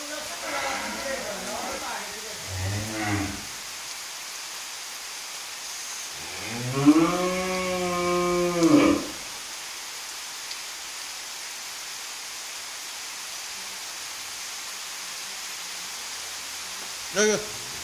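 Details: Twelve-month-old Friesian heifer calf from Pabna, Bangladesh, offered for sale, giving a long harmonic moo that rises then falls, about two seconds long, after shorter lowing sounds near the start; a faint background hiss and a brief knock near the end.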